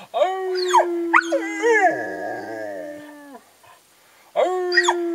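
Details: Three dogs, Ben, Ludo and Tina, howl in chorus: a long level tone with wavering higher voices layered above for about three seconds, a short silence, then the howling starts again.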